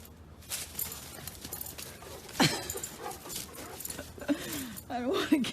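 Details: A male Borzoi, happy to be home, gives short, arching whine-barks in greeting, over room noise and a voice.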